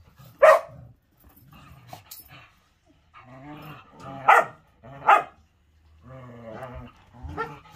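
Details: Playful Whippet in the morning: an opening bark, then stretches of low, throaty growling punctuated by two loud barks near four and five seconds and a last shorter bark.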